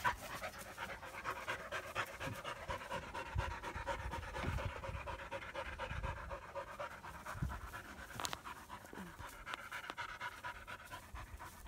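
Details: German Shepherd puppies, a young female and her half-brother Psycho, romping together in Florida during their first play session; rapid, uneven huffing pants with occasional bumps and rustling from the playful tussle.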